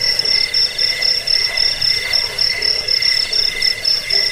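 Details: Crickets played as a rat repellent, sleep aid and songbird training track: steady high pulsed chirping in two bright bands, one shrill and one lower, with pulses repeating rapidly and evenly throughout, and a soft rustling hum beneath.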